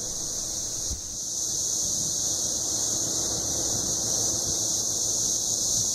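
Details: A chorus of male Cassin's 17-year cicadas sings in Kansas forest trees in 2015 to attract females, making a steady, high buzzing drone that swells in loudness; calling together every five seconds produces waves of sound called cycles.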